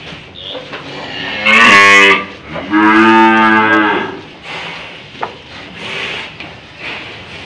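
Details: Tough old cow getting a nose rope fitted gives two loud moos, a short strained bellow then a longer one, before quieter rustling and handling sounds.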